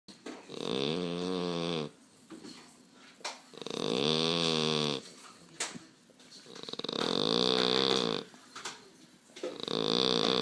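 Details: French Bulldog named Baba249 sleeping deeply and snoring: loud, rasping snores lasting about one and a half seconds each, with strong harmonic buzz, separated by quieter breathing pauses, three full snores in ten seconds.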